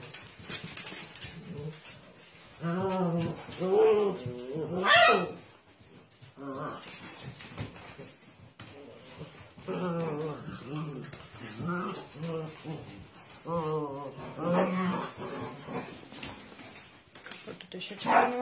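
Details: Basset Hound giving a series of mournful, wavering howls and moans in uneven bursts, some rising then falling. Short yelps and background voices and household noise come between the calls.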